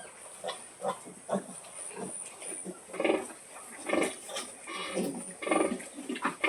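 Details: Pig calling her piglets to feed: low rhythmic grunts repeated about once a second, irregular in spacing, some louder with a nasal edge, over a steady background hiss.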